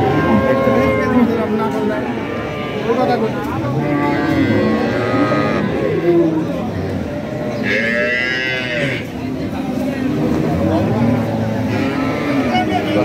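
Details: Cows and calves, local and foreign types, at a crowded village cattle market in Bangladesh; many deep, drawn-out moos overlap continuously, some rising then falling, with a brief burst of people talking and faint background music.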